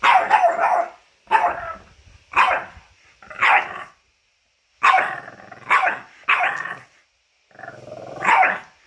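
A French Bulldog vocalizes in separate bursts of nasal, whiny grumbling. Each lasts under a second, with brief quiet gaps between, rising and falling like a complaining mutter.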